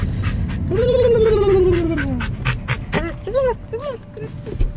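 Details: Yodeling dog riding in a car gives one long smooth tone that falls slowly, then a quick series of short arched yips, with car noise beneath.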